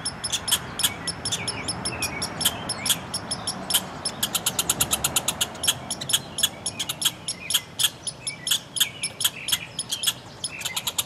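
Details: Two red squirrels quarrelling in a front yard: rapid bursts of dry, sharp chattering pulses, sometimes in fast rattling runs, continuing throughout against a low rumbling background.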